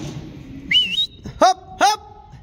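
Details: Sheep from a flock raised in northern Spain. A rising human whistle is followed by two short, harmonic bleats about half a second apart, then quiet farmyard background.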